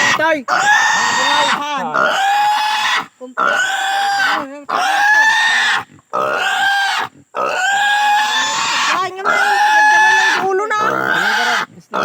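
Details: Native pig screaming during castration, a rapid series of harsh, wavering squeals with rising and falling pitch, about a dozen bursts with quick gasps between.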